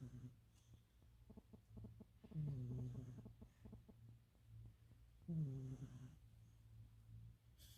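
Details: Cat asleep and snoring loudly, much like a person; two long rasping snores roughly three seconds apart, low and throaty, with a constant low hum behind.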